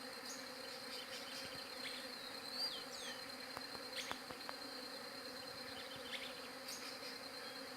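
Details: Steady bee buzzing recorded with a Galaxy J7 Prime 2, a dense unbroken drone beneath scattered bird chirps, one short whistled call and a few sharp tapping clicks mid-clip.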